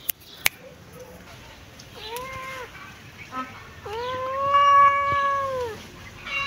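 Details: Kitten sunbathing in its favourite place, meowing: a short faint mew, then a rising-falling meow near two seconds and a longer drawn-out harmonic meow from about four to six seconds; light clicks and rustling early on.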